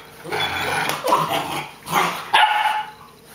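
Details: Boerboel puppy in play, letting out gruff growls that break into a short, higher yipping bark, three rough bursts in quick succession indoors.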